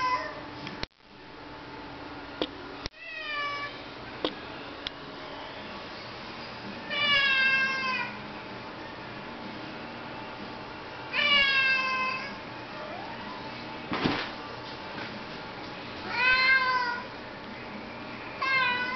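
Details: House cat that won't stop meowing because it wants to go outside in the rain: a series of five or six loud, wavering meows spaced a few seconds apart, with occasional knocks and clicks between.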